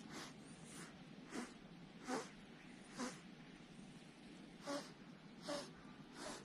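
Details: A small Persian cat on the side of the road gives a series of sharp, airy hisses, some with a brief throaty catch, about a second apart, defensively hissing at the approaching recorder over a faint background hum.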